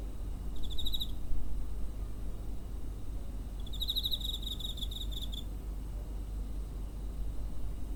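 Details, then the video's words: A cricket recorded near a home on 7 September 2023 gives two bursts of high, pulsing chirps over a steady low background rumble. "Cricket chirping (コオロギの鳴き声 音声のみ"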